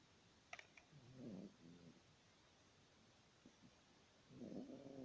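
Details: Yorkshire Terrier snoring: two nasal, humming snores about three seconds apart, each with a low buzzy tone and faint overtones, plus a soft click near the start in a quiet room.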